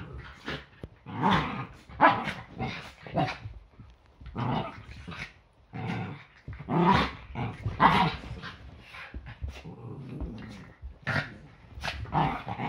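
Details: Yorkshire Terriers play fighting on an ordinary Sunday morning before breakfast, a daily routine; bursts of growling and short barks come in rapid clusters with brief pauses throughout.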